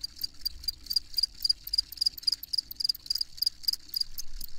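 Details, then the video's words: Cricket giving bright, high chirps in quick regular pulses, several per second, clear above a faint low hum. "Crickets Chirping"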